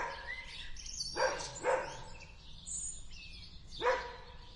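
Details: Dog barking in a garden, a few short broad barks near 1.2, 1.7 and 3.9 seconds, with small birds chirping and whistling in the background.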